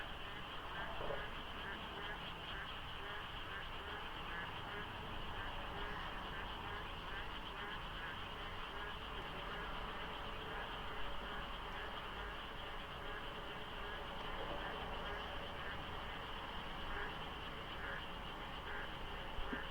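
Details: Frog chorus in the dark early morning during monsoon rains beside the Deokso IC expressway interchange, thin fog lying over the road: steady overlapping croaks and pulsed trills blend with a deep traffic drone and occasional vehicle noise.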